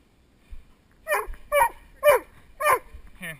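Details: Male Doberman named Spock barking during protection work with a helper, heard from the helper's head-mounted GoPro Hero2: five loud, harsh barks roughly every half second, with a handler's quiet voice before and after.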